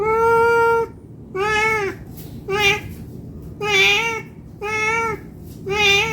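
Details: Hungry domestic cat meowing for food, a run of six drawn-out, even-pitched meows, each about half a second to a second long, separated by short pauses, in a quiet indoor room.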